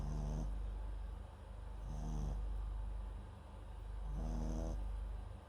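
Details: Close-miked snoring from MAX, a Papillon × Japanese Chin mix dog asleep: three low, buzzing snores spaced about two seconds apart, each with a soft breathy whistle on top.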